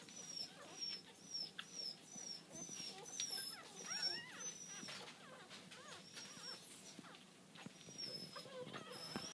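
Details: A litter of AKC miniature dachshund piebald puppies, blue and tan and black and tan, born October 12th, whimpers and squeals in overlapping, wavering, high-pitched cries.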